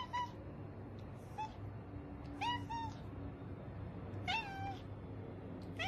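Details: Kitten in a compilation of cute baby cats mewing repeatedly: brief high-pitched calls, some doubled, each dropping at the end, spaced unevenly over six seconds with a constant low hum underneath.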